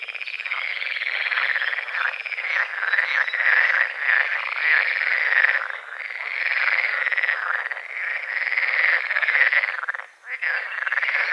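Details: Dawn chorus of frogs at a small forest-edge lake with morning fog over the water; many overlapping rasping croaks form a thick, unbroken wall of sound, with a brief lull near the end.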